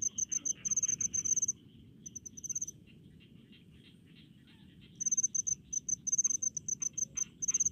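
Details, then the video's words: Cricket song from rice fields in a village setting: bursts of high rapid chirps, a two-second lull where only faint insect buzzing remains, then chirping resumes. "SUARA JANGKRIK DI PESAWAHAN"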